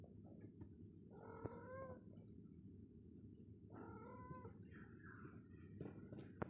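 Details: Domestic cat with a kitten playing together in the morning; two drawn-out, slightly wavering meows, the second falling at its end, set against a steady low hum and soft background noise.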